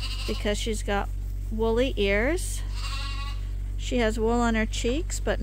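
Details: Bottle-fed lambs at Ewetopia Farms, still nursing from their mothers but topped up twice daily on a hand-made bottle feeder, give several wavering, quavering bleats in short bursts, with a person talking between them over a steady low hum.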